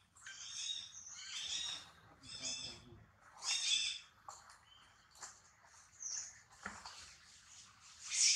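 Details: High squealing cries around a newborn female monkey, uneven bursts of harmonic wails and shorter squeaks through the passage, ending with a sharp loud shriek.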